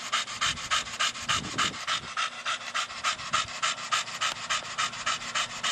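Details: Brogan, a four-year-old Staffordshire Bull Terrier, breathes in rapid, even, rasping pants during play with a large hard plastic ball, with a soft low thump near the start.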